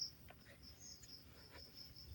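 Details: Crickets calling along a quiet forest trail in the Sitakunda hills of Bangladesh at the start of a trek to Ruposhi and Chhagolkanda waterfalls; a faint steady high-pitched trill runs throughout, with soft rustling and footsteps beneath.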